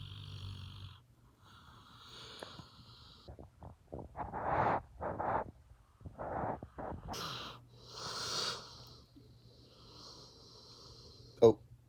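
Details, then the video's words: Rosco the dog, deep asleep, snores in rough, breathy bursts, with several loud wheezy exhalations clustered in the middle. A thin whistling tone rides along on some breaths, and a sharp click lands near the end. "Snoring dog"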